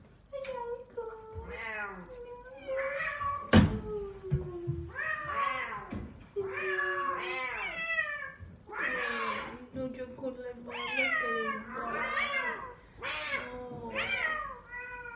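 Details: An F4 silver Savannah cat, a male, gives a string of loud, drawn-out lion-like wailing calls, each bending up and then sliding down.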